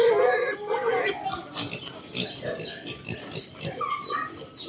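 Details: Piglets give a loud, high, harmonic squeal, then fainter squeaks, beneath music and a few spoken words.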